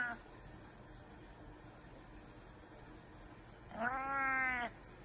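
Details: Indoor cat audible after a long stretch of quiet room noise: one clear, wavering meow lasting about a second, with even harmonic bands, near the end.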